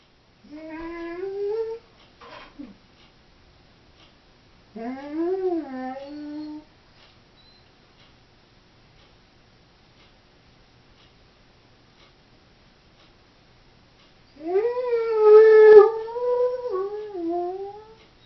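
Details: Female Doberman left home alone indoors, voicing three short wavering whines that rise and bend in pitch, separated by long silent gaps, the last one longest and warbling downward.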